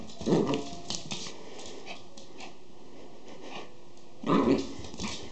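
Schipperke puppies give two short, sharp yelps a few seconds apart in a quiet room.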